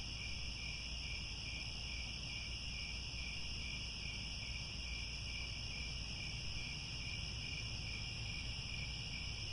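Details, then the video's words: Evening cricket chorus at sunset in Cambodian grassland by Angkor Wat, a continuous bright high trill in several parallel layers, never pausing, over a quiet low background rumble. "The Sound of Crickets at Sunset"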